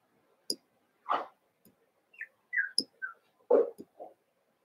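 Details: Cavalier King Charles Spaniel puppies, Daisy's six merged with Robin's two, playing together during their last days before leaving: a few short, high squeaky whines, some sliding upward or downward, between soft clicks and thumps.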